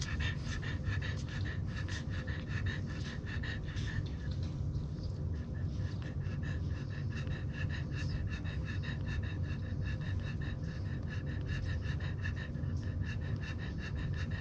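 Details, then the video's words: French Bulldog puppies, 24 hours old, nursing milk from their sleeping mother; rapid rhythmic suckling and snuffling bursts come several times a second, with a brief pause midway, over a steady low hum. "24 Hours Old French Bulldog Puppies Nursing Milk Out Sleeping Mommy"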